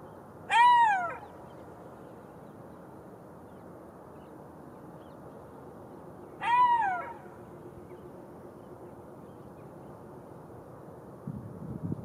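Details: Golden jackal giving two short wailing cries about six seconds apart, each a clear tone sliding down from a higher start with bright overtones, over a soft steady background hiss.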